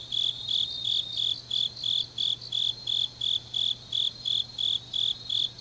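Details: Late-night autumn grass insects from Changnyeong, South Gyeongsang: bright, high, metallic chirps in an even pulse near three per second, joined by a second quieter insect voice, over a steady low electrical-sounding hum.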